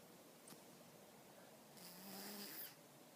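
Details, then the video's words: Stella, a pet cat, asleep: after a quiet, hissy stretch comes one short snore with a low, steady buzzing tone and a breathy, hissing edge, lasting under a second, in a quiet indoor room. "My cat snores"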